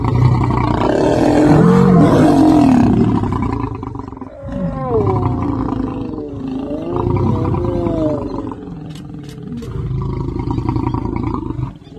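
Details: Lion of Chobe, a father warning his son: an opening heavy roar, then a run of lower moaning grunts with wavering, sliding tones, continuing in rough rumbles to the end.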